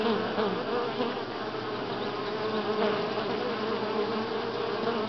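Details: Many honey bees at Grass Lake Sanctuary in week six, July 25, 2011, filling the air with an even, unbroken droning buzz, overlapping wingbeat tones wavering slightly in pitch.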